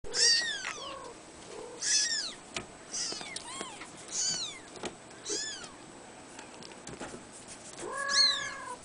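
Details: Three-week-old male blue Abyssinian kitten, born 22 April 2010, meowing in a series of high, thin calls. Each call rises and falls with bright overtones, about six in nine seconds, separated by short quiet gaps.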